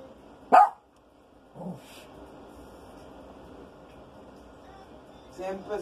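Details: A Maltese dog named Rico, indoors at home on a rainy day, hunting for the smell of a skunk thought to be under the house. One sharp, loud bark comes near the start, followed by faint voices and quiet room noise.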